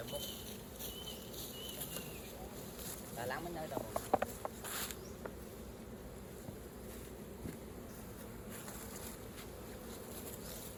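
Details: Honey bees at an opened hive during raw honey collecting give a dense, steady low drone, broken midway by a short cluster of clicks and knocks, with brief human voices nearby.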